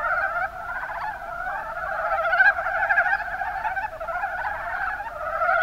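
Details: Mountain brown frogs in Kumamoto's Kuma Basin, Japan, many voices at once giving quick, clucking croaks that merge into a busy, unbroken chorus, peaking briefly near the middle.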